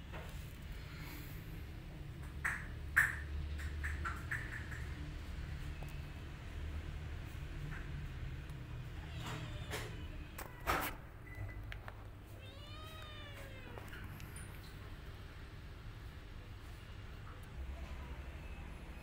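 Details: Orphan kitten and mother cat scene with the mother turning on the kitten: clicks and knocks early, then around twelve seconds a clear rising-and-falling meow with a shorter cry after it, steady low hum throughout.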